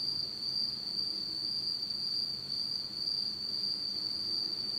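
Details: In pitch-dark autumn night in Japan, insects produce an unbroken, piercing high trill, steady in level, with a faint higher band above and soft low background noise.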